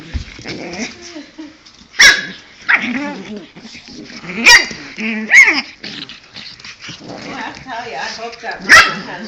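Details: Pug puppies playing, giving short sharp barks and high yelps about every two to three seconds, mixed with growly whines and a man's voice talking over them.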